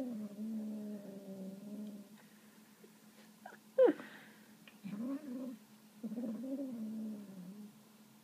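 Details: Female kitten given a bit of meat indoors makes low, throaty moaning nom sounds, a two-second drawn-out growl, then a sharp clatter, then two shorter rising-falling moans, over a steady low hum.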